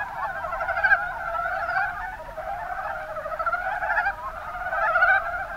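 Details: In Japan's Kuma Basin, Kumamoto Prefecture, Mountain brown frogs call together: a steady wash of quick, rattling, mid-pitched croaks that swells slightly near the end.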